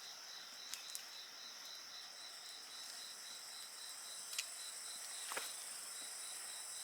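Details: Bonfire crackling amid an insect chorus: constant high shrill drone and pulsed chirps, with several sharp snaps and pops from burning wood.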